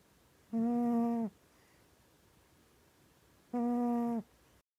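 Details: Two drawn-out, level, humming snores from Mya the cat, asleep and dreaming, spaced about three seconds apart in a quiet room.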